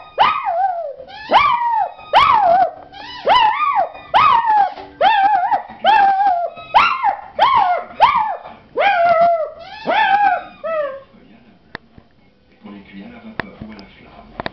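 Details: Puppy howling in quick repeated yelps, each bright cry rising and dropping, roughly a dozen in eleven seconds, then the calls stop, leaving faint clicks and low room noise.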